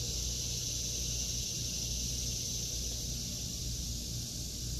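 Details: Cicadas drone in an August 2023 garden of vegetables, an even, high, sizzling buzz that never stops, accompanied by faint low rumbling.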